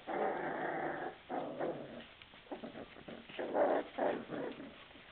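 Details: Several hungry puppies make sustained, harmonic whines blended with low growling, swelling and dropping in long notes with brief gaps between them, heard up close in a room.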